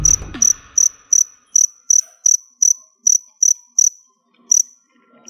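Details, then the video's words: Store-bought crickets, kept in a storage box as feeder insects, chirp in high, sharp pulses about twice a second. A brief rustle opens the recording, and the chirping pauses near the end before resuming. "Cricket Sounds"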